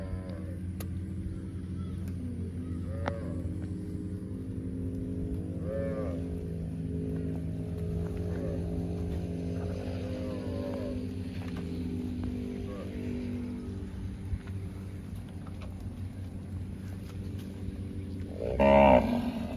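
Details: A cow gives long, low, droning moos that swell and fade over several seconds. A steady low hum runs throughout, and a louder burst of noise comes near the end.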